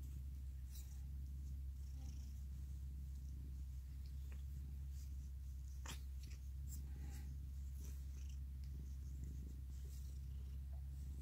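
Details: Male orange tabby cat, a former stray, purring steadily while hugging and licking; a continuous low rumble runs throughout with scattered soft clicks and rustles.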